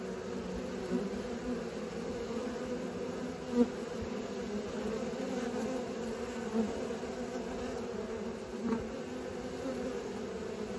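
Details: Young honey bees learning to fly make a dense, steady humming buzz, punctuated by a few short louder close passes and faint taps.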